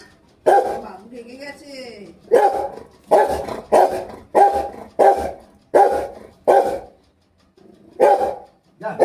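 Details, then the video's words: Angry pet Rottweiler giving a run of loud, harsh barks about every half second to second, with a short whining rise near the start and a woman's voice in the background. "Lucky ko itna gussa kyon"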